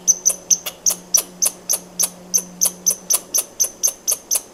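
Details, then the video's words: Rapid squirrel chatter of crisp, high, clicky notes, around four per second for nearly five seconds, each note carrying a faint whistled tone, with a soft low hum fading out partway. "Squirrel sound"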